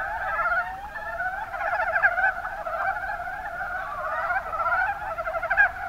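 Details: Kuma Basin, Kumamoto, Japan: Mountain brown frogs give a thick chorus of short, rapidly pulsed chuckling croaks, several voices overlapping continuously with occasional louder bursts.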